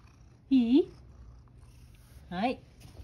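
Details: Sacchan, a rescued male cat living at Kazeno Kobo with an elderly woman, at breakfast time before his kibble, gives two short rising meows with rich harmonics, about two seconds apart, in a quiet indoor room.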